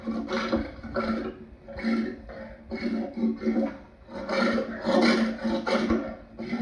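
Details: Lion giving a run of rough, breathy grunting roars, about one burst per second, each harsh and broadband over a steady low tone, with short pauses between bursts.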